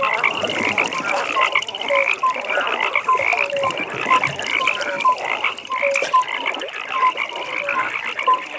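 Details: A frog pond after dark: a busy chorus of quick repeated croaks, several per second at two pitches, layered over a continuous high pulsed trill from many callers.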